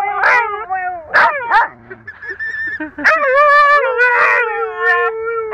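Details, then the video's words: Pet dogs singing along in a home, yelping bursts giving way to a long drawn howl that slides slowly downward, with brief sharp yips in between. "dogs sing the song"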